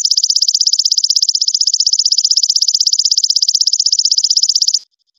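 A golden grasshopper sings a high, buzzy trill of rapid, evenly spaced pulses that stops abruptly.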